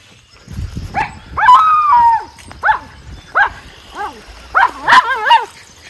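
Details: Schnauzer named Levi, out in the yard with another dog for the first time in two months, in spring with melting snow, April 2023, howling after seeing something he didn't like: a run of short, wavering, tonal yelps rising and falling, some sustained, about every half second.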